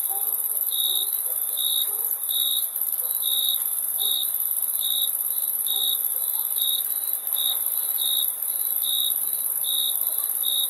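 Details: High-pitched cricket chirps repeated evenly at a bit over one per second, carried over a continuous shrill insect drone with no other noticeable sounds.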